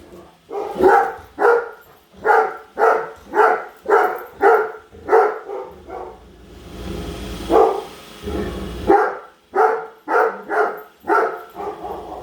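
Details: Padme, a Great Dane, follows and barks at a new Roomba she hates, indoors at home; loud, sharp barks come in quick runs of two to four, about every half second, with a steady robot-vacuum hum between bursts.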